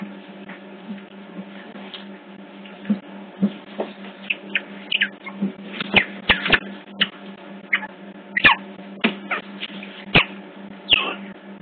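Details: Captive otter pups on hidden CCTV at Hertfordshire Zoo chatter in scattered short chirps and squeals, some rising or falling, amid knocks and clicks over a constant low mains-like hum.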